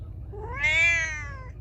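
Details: Feral cat giving one loud, drawn-out meow that climbs upward, holds a strong harmonic tone, then tapers off, with a quiet low background hum.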